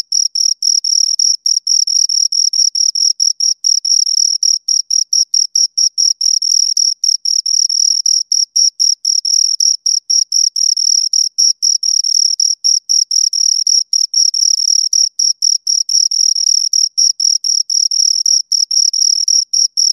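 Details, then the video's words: Continuous chirping from two crickets, close up: a long run of crisp, high-pitched pulses, roughly four per second, sometimes bunching or briefly pausing. A thin, higher shimmer rides above each pulse and the background is otherwise silent. "Two Crickets Chirp Sounds"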